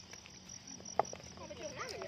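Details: Crowded crickets sustain a thin, constant shrill trill, with a sharp click near the middle and wavy lower calls toward the end.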